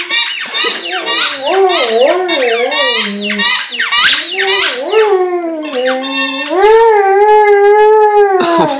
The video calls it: Silly dog whines and howls at squeaky toy- Vizsla